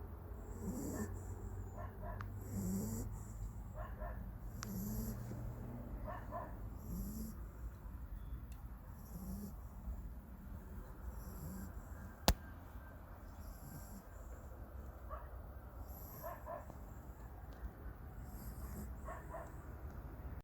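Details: A dog in the countryside naps after a long bout of running and playing, snoring softly. Low, rhythmic breaths come roughly every two seconds, with faint high chirping in the background and one sharp click.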